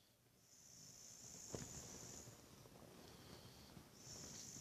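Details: Sleeping Boxer named Buddy snoring away, a steady airy wheeze running through the breaths, with one brief louder snort near the middle.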